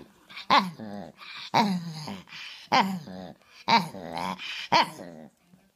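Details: Guapo, a rescued Chihuahua, makes word-like talking sounds indoors: five throaty, growly whines about once a second, each starting with a sharp yelp and sliding down into a wobbling grumble.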